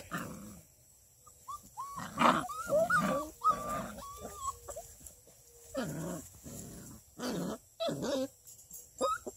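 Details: Playful litter of six-week-old female Redbone Coonhound puppies near Kingston, Ontario, Canada, giving short squeaky whines and rough little barks and growly yelps in quick irregular bursts, several pups overlapping, faint steady hum behind.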